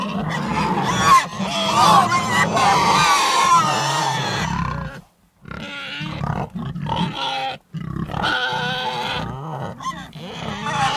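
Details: Pigs give loud overlapping squeals and low grunts, a long harsh burst for five seconds, then a short silence and further bursts of grunting and squealing at irregular intervals.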